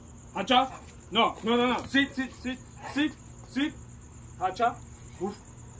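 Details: Puma, an eight-month-old Presa Canario, learning how to bark in July 2021: a string of about eight short, harmonic yelping calls that rise and fall, spaced roughly half a second apart, over a steady high insect-like hum.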